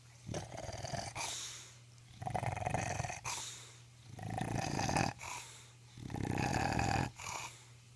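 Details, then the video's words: Boss Hogg, an English Bulldog, snoring away while asleep indoors: four long, rumbling, raspy breaths, each lasting about a second and coming roughly every two seconds, with breathy hiss between them. "A Bulldog's Snore Compilation... Boss-Hogg the English Bulldog"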